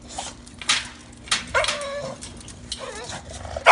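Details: A female bulldog puppy excited at play gives short, wobbling, gobbling yelps and whines in quick bursts, rising and warbling almost like a turkey, ending in a sharp loud yip.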